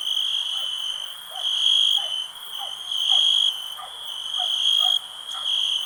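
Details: Cricket trilling high and steady with louder pulses roughly every second, while short, lower bubbly notes from other night creatures sound faintly underneath.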